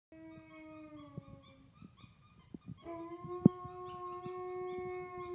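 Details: Alaskan Malamute howling to a teddy bear indoors: two long, steady, mellow tones, the first falling slightly and fading, then a stronger sustained howl held for over two seconds, with soft clicks and thumps between.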